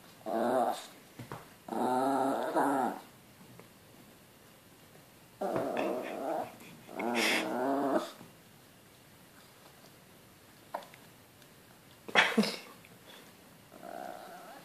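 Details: Small Chihuahua mix dog indoors in a small room, wanting beer badly, gives low grumbling growl-moans in short bursts of about a second, separated by pauses, with a few sharp clicks and knocks.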